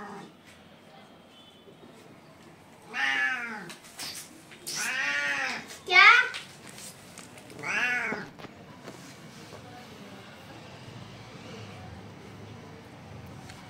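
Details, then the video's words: Hungry street kittens in India meowing for their mother cat: four drawn-out, harmonic meows between the third and eighth seconds, the loudest near six seconds, each rising then falling, with quiet room background between. "Cat funny sound | Angry Cat Voice"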